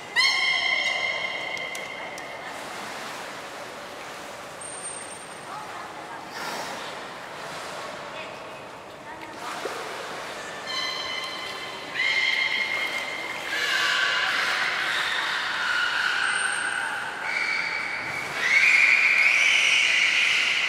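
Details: Belugas Hodoi, Taanya and Mirai at the Port of Nagoya Public Aquarium during a training session on 2 August 2019, Mirai's seventh birthday. Several harmonic, squeaky tonal calls rise and fall, with brief high whistle blasts and watery background noise.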